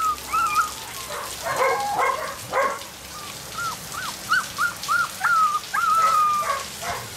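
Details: Black-and-white and blue merle Border Collie puppies born 25 September 2013 start with rustling scuffles, then give a run of short, hooked whimpers and a couple of longer, wavering whines.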